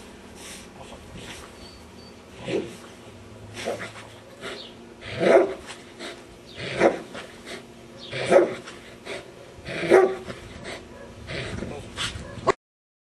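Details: Dog named Nero during protection bite training, barking in single loud bursts about every one and a half seconds over steady background noise.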